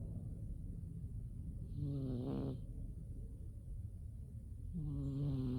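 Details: Umi the cat snoring while asleep in winter: two low, droning, tonal snores about three seconds apart, each around a second long with a faint breathy hiss above, over a steady low background rumble.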